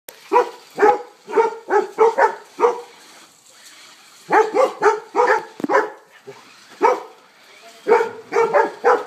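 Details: Two golden retrievers battle a remote-controlled car, giving loud, rough barks in quick clusters: a burst of about eight in the first three seconds, a short pause, then further rapid runs.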